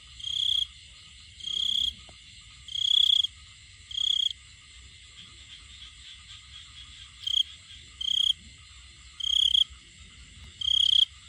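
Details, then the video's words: Male cricket singing to attract a female: clear high chirping bursts, each about half a second long, repeated irregularly every one to two seconds with short silent gaps between them. "A male cricket makes sound find female cricket"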